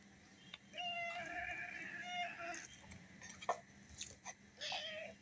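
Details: Domestic cat, apparently hungry and being coaxed to come and eat, gives a drawn-out mewing call lasting over a second, then shorter mews; a woman speaks in Bengali around it.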